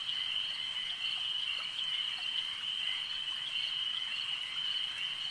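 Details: A brief stretch of frogs croaking together at a lake, their calls blending into one continuous high, vibrating tone at a steady loudness.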